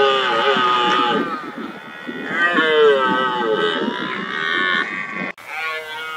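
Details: Red deer stag during the rutting season roaring to keep rivals away and impress hinds: overlapping, wavering bellows with rough, grunting undertones running almost continuously, then an abrupt cut to a fainter roar at the end.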